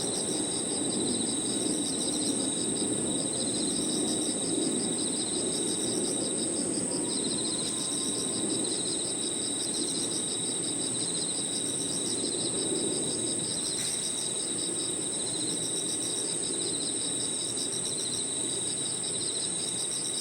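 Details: Crickets with other insects calling in a park at evening, a dense band of rapid pulsed trilling under a constant thin high whine, with a noticeable low murmur of distant background noise throughout.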